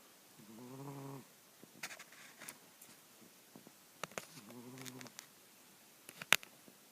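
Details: Domestic cat named Mr. Jigilo, nicknamed Jiggy, snoring while asleep: two drawn-out harmonic snores about a second long each, separated by a pause with scattered clicks and soft rustles.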